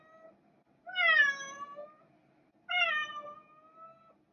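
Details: Two long, plaintive cat meows about two seconds apart, each starting high and sliding gently downward, in quiet surroundings.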